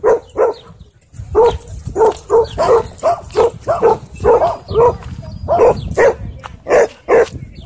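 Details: Dog barking during a dog park conflict in which a German Shepherd is said to have drawn blood from a Bull Terrier: rapid, repeated mid-pitched barks in quick bursts, roughly two to three per second, with brief pauses between volleys.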